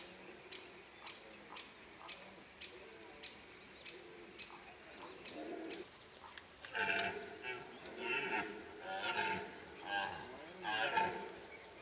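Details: Rutting deer in Kopački rit Nature Park, Croatia, where many animals roar in late summer. A steady train of short regular pulses comes first, then loud, rough, rising-and-falling roars repeat about once a second.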